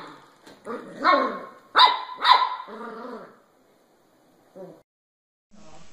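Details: Puppies yapping: a rapid run of shrill, ringing barks in the first three seconds, then near silence broken by one faint yelp and a soft rustle.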